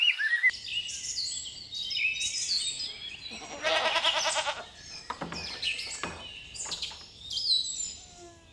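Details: Forest grazing lambs: one buzzy, tremulous bleat in the middle, surrounded by plentiful high chirping and whistling birdsong.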